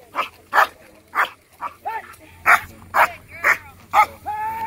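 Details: Black German Shepherd, 15 months old, performing a P1 protection routine at a working dog protection competition; a run of loud, sharp barks roughly every half second, with a low hum in the background.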